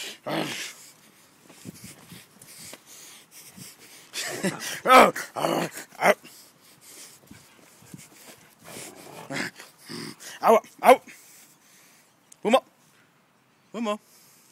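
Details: A Rhodesian Ridgeback going full throttle, giving short, harsh, growly bursts at irregular intervals, some in quick pairs, with quiet gaps between them.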